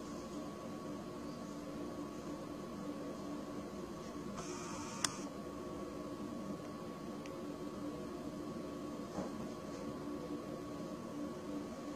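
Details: Steady indoor hum and faint electrical whine, with a brief click and soft rustle near the middle and no animal voice.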